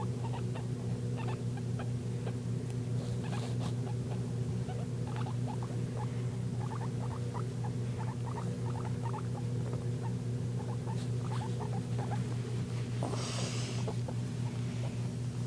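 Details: Guinea pig Jenger making wheeking sounds: soft, short squeaky chirps in loose runs of several, scattered through the recording over a steady low mechanical hum, with a brief hissing rustle near the end.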